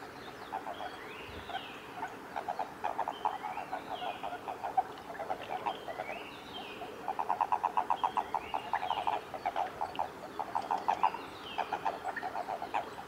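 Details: Japanese common toads clasped in amplexus at Kawaguchiko Field Center, Japan, 22 April 2018. Rhythmic low pulsed croaks build into long rapid trains of about a dozen notes, while high descending whistles recur behind them.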